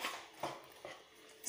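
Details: Female Labrador puppy Suzi pants quietly between training commands, three hushed breathy puffs spaced roughly evenly, indoors with a low background hum.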